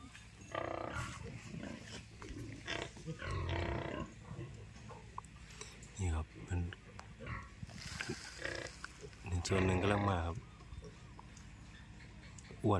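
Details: Fat piglets on a semi-free-range pig farm give short low grunts in irregular bursts, then a louder run of rapid squealing grunts near the end, with a man talking throughout.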